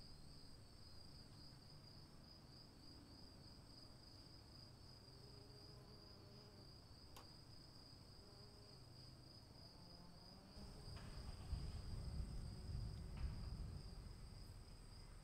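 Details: High, even cricket trill with a gently wavering pulse continues through falling rain; the rain grows louder and heavier in the last few seconds beneath the steady insect tone.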